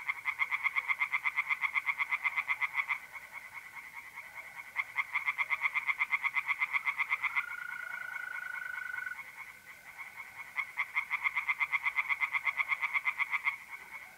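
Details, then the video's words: Pond tree frogs on an April night in north-east Italy, bursts of fast rhythmic croaking a few seconds long broken by pauses, with continuous even trilling of mole crickets underneath. "relaxing singing tree frogs in pond and trilling mole crickets by night"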